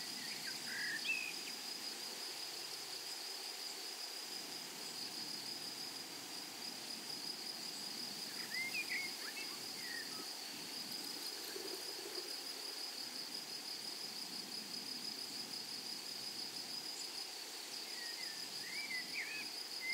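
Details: Flowery meadow or prairie with grasshoppers: an unbroken high, thin insect trill runs throughout, while a few brief chirps from birds break in now and then over a soft rushing background.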